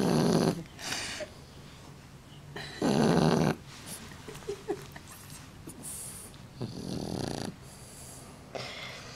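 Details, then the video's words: A sleeping Shar Pei lets out hoarse, raspy snores, likened to a man's. Several broad, rough bursts arrive at uneven spacing over nine seconds, with softer wheezy breaths and small clicks between them. "Шар-пей! Храпит, как настоящий мужик!)"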